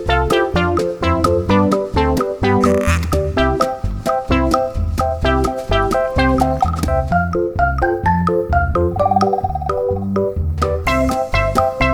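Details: Organ and keyboard music plays throughout in steady rhythmic chords, with no animal voice present.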